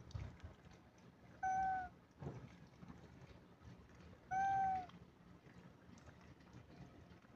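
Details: Cat or kitten meowing twice, about three seconds apart, each meow a steady, drawn-out tone with a slight downward bend at the end, over a quiet background hum.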